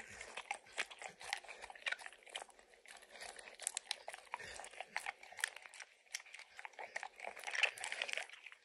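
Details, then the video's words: Max, a dog, licks and chews peanut butter and kibble lodged in an orange mat. Smacking tongue clicks come in short clusters, with occasional louder crunches near the end, in a small quiet room. "Max Licks| Peanut Butter & Kibble from the Orange Mat | ASMR | Dog Licking Sounds"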